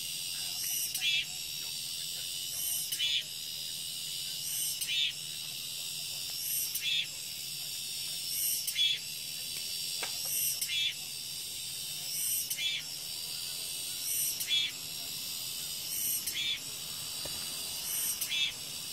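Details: Shrill cicada song in a continuous high hiss, punctuated by brighter rasping pulses repeating about every two seconds.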